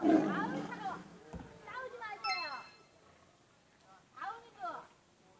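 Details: Tiger Nara at Everland zoo roars at her keeper, venting anger after being beaten by her older brother; a loud, harsh roar bursts out at the start, then excited human voices and shorter vocal bursts follow.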